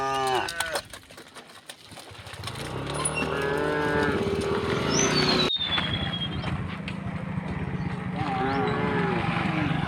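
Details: Herded tame cows crossing a wooden bridge toward the fields, mooing in a rural setting; a brief moo opens, then overlapping lowing calls mix with rumbling, clattering background noise and a bird's descending whistle.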